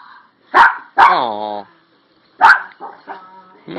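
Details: Toy Poodle letting out a sharp bark, then a longer whining yelp with a falling tone, then another bark. Faint speech and a short noise sound at the end.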